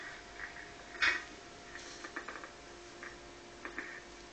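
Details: A Boston Terrier reacting to a ringing doorbell gives one sharp, high bark, followed by softer yips and huffs scattered through a quiet room.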